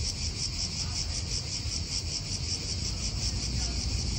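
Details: Cicada chorus in an Italian park, a harsh high buzz throbbing steadily, over soft wind and faint traffic.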